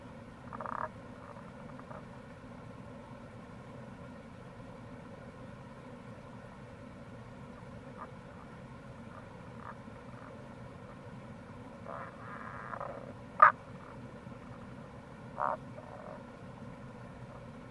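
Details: Tago's brown frog (Rana tagoi) calling in April near a gorge on the Kamo River, Itoshima, Fukuoka, Japan: a few faint, short, mid-pitched croaks scattered over a steady rushing stream background.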